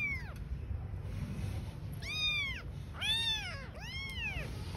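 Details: Street-living newborn kittens beside their mother cat give high, bent meows, one early and then three close together, each rising then falling, over a low rumbling background.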